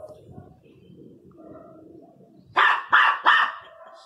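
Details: Angry Miniature Pinscher giving three sharp, loud barks in a fast burst near the end, after a stretch of low murmuring background noise.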